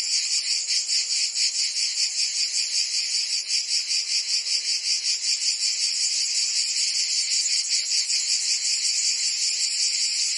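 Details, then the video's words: Many cicadas singing through a Provence summer day in France; a sizzling high-pitched drone, continuous and evenly pulsed, with slight swells in loudness and no other noise. "Cicadas singing in France (Provence)"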